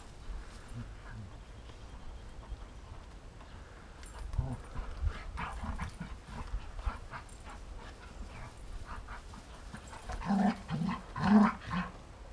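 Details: Rhodesian Ridgeback at play with a canine friend outside in sunshine: scattered breathy huffs and scuffles, building to a few short, low, voiced grunting growls near the end.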